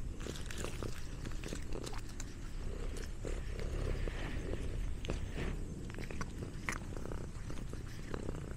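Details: Orange tabby cat eating snacks on a farm; steady low rumbling purr under soft chewing clicks and crunches, with faint background noise throughout.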